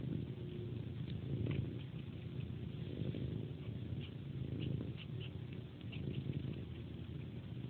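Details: Pet cat purring during its bedtime ritual, sucking on a person's hand like a pacifier; a steady low rumbling purr runs throughout, overlaid with soft, wet sucking clicks at irregular intervals.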